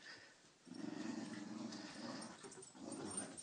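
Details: Cairn Terriers playing together in a group, one giving a low, rumbling play growl that runs nearly continuously after a short pause, pulsing about four times a second, with faint higher noise above.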